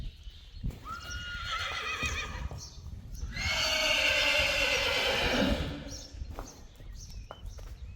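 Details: Friesian horse neighing in a herd with playful 10-day-old foals after rain, ponies rolling in mud: a loud harmonic whinny lasting about two and a half seconds, preceded by a thin tone, with hoof steps and Dutch voices around.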